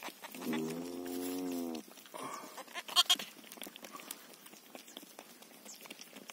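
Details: Ewe that has just given birth to a lamb: one drawn-out, steady bleat lasting over a second, followed by scattered clicks and rustling.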